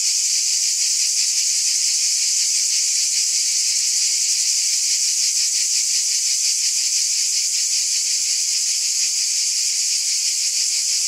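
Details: Cicada chorus at night in summer, an intense shrill buzzing that never breaks, beating in quick regular pulses, with a faint thin tone appearing near the end.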